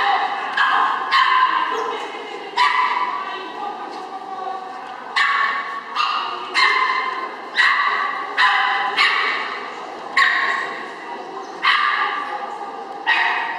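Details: Chihuahua at an agility trial in Henau, September 2011, giving a series of sharp, bright barks about every second, each burst ringing with stacked harmonics and fading slightly before the next.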